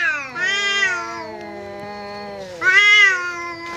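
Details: Domestic cat squaring up to a visiting cat in a fight: long, drawn-out harmonic yowls, one swelling and falling away, then a second rising surge near the end, held in a tense, wavering tone.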